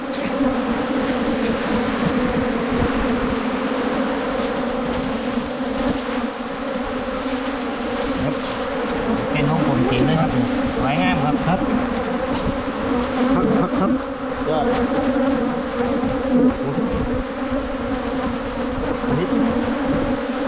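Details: Long steady hum of a wild Asian honey bee colony during 2022 honey hunting, many bees droning together in a dense, unwavering buzz with faint wavering tones in the middle.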